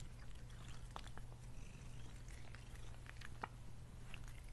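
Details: Domestic cat Lily eating food: scattered soft crunchy clicks and wet chewing ticks over a steady low humming drone, one brighter click near the middle and another toward the end.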